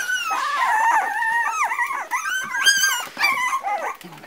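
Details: Near-continuous drawn-out whines from four-week-old Parson Russell Terrier puppies, sliding cries rising and dipping in pitch and overlapping into a plaintive, almost howling chorus.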